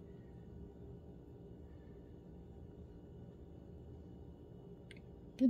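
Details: Quiet low background hum with a few faint clicks and a sharp knock at the very end, with no animal voice heard.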